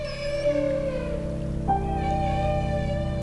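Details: Humpback whales in Alaska feeding cooperatively: a long, steady trumpeting feeding call, held on one tone then shifting slightly higher, made as whales dive below herring schools to drive the fish.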